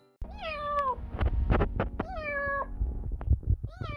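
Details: Tiny stray kitten found at 2:30 a.m. in minus 4 degree cold in Korea, calling loudly: a run of high, arching meows with falling tails, closely repeated, over low steady hum and a few handling thumps.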